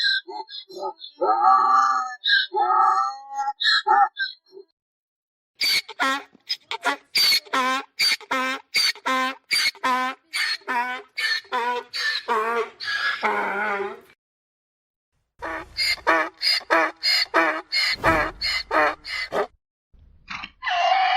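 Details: A mule brays repeatedly: choppy harmonic honks at first, then a fast rhythmic run of wheezing pulses. After a brief silence a second braying bout follows, with a low rumble near its end.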